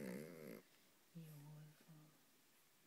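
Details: Shih Tzu growling low and quietly indoors: a wavering moan, then two steady low rumbling growls of under a second each, with a person talking soothingly nearby.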